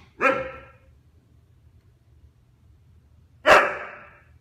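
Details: Husky, one and a half years old, vocalising to get his younger brother's attention while being ignored: two short, sharp barks about three seconds apart in a quiet room.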